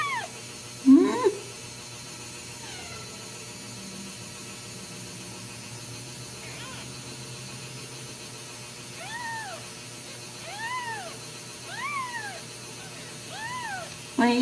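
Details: Ragdoll kittens with their mother, raised uncaged in a home cattery in central Kansas: several thin, arched mews near the end, roughly one per second. A steady low hum runs throughout, and a woman speaks softly.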